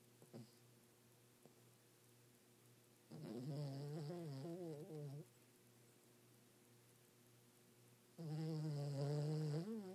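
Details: A pet dog asleep in bed at night snores loudly: two sustained, buzzy, wavering drones, each about two seconds long, separated by several seconds of near silence in a quiet room.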